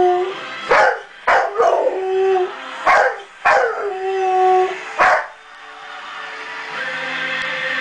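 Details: A 1-year-old male Rottweiler howls along to the opening song of a TV gospel broadcast, in drawn-out, wavering tones that slide and dip, with the music playing behind.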